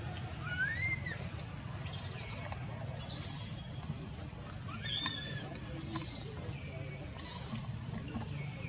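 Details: Baby monkey Jinx, taken from its mother and unable to return, cries out calling for Jade: harsh, high shrieking bursts roughly every second or two, mixed with thin rising whistled notes, over a low steady background rumble.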